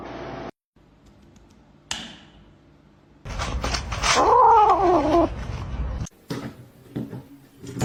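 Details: Domestic cat letting out a drawn-out, wavering yowl lasting about a second, its pitch wobbling up and down, set among clattering household noises and brief quiet gaps.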